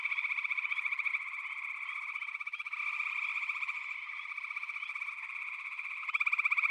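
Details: Dense frog chorus: many overlapping pulsed, trilling calls merge into a continuous high buzz, swelling louder near the end.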